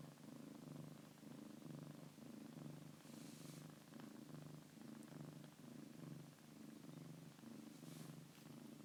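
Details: Foster kitten purring loudly with the microphone moved in close: a soft, low, continuous rumble that swells and fades in a steady rhythm of breaths, about one cycle per second, with a couple of faint rustles.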